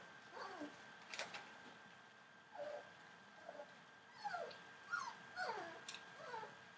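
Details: Litter of 24-day-old Entlebucher Mountain Dog puppies born 28 December 2013, giving frequent thin, downward-sliding whines and squeaky yelps, several overlapping in busy bursts, with a low constant background hum.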